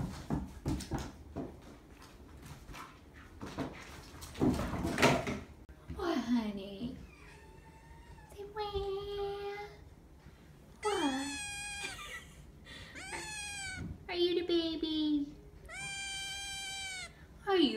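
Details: Nine-week-old foster kittens from Belle's litter, in a small indoor room. Scratchy rustling and a woman's voice come first. Then a series of loud, long harmonic meows with some falling, bending cries, repeated every one to two seconds.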